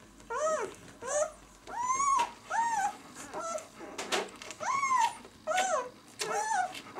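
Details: Whimpers from a B litter of White German Shepherd puppies at six days old, "of White Night" kennel: short rising-and-falling squeals, roughly eight in seven seconds, clear harmonics, quiet gaps with soft shuffling noise.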